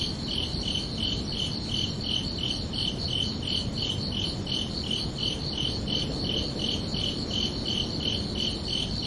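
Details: Crickets at night keep up a continuous, regular run of short shrill chirps, around twenty-five in nine seconds, over a soft constant low hum.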